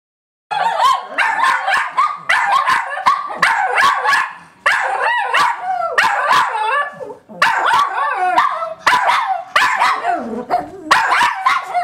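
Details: A Shih Tzu, one of three small dogs upset at a UPS truck, delivers a continuous run of shrill yips, warbling whines and howl-like cries in dismay while another dog goes wild barking.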